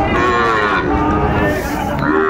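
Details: Sahiwal bull at Ambari cattle market in Netrokona, Bangladesh, on 8 November 2024, giving a long loud moo with stacked harmonics that wavers and falls, over market noise.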